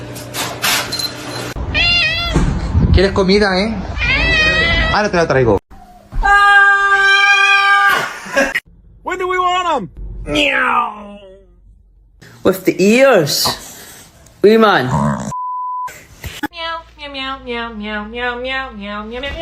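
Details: Cat giving a run of varied meows, some short and rising-falling, one long steady drawn-out call, and a wavering meow at the end, mixed with human voices and brief electronic tones.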